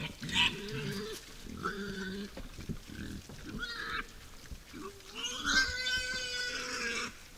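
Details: Wild boars at a forest feeder at night squeal loudly: several rising, harmonic-rich shrieks in short bursts, then a long, sustained high squeal near the end, over low grunting.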